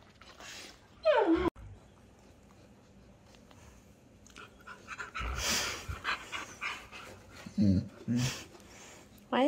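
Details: Indoors, Arlo the long-haired German Shepherd and Appa the Husky play-wrestling after cuddling: a sharp falling yelp-like whine, quiet stretches of panting and scuffling, then bursts of whining grumbles, with a person's voice also heard.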